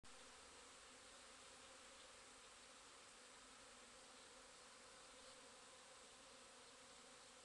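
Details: Bees busy on a day in mid-April 2010, a steady unbroken droning buzz with a low hum underneath, constant in level throughout.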